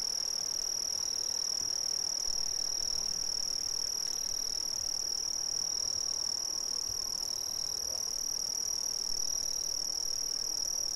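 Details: Brazilian crickets make a steady, shrill, pulsing trill high in pitch, with a fainter higher overtone. Short, quieter chirps appear in the middle range now and then, against an otherwise even chorus.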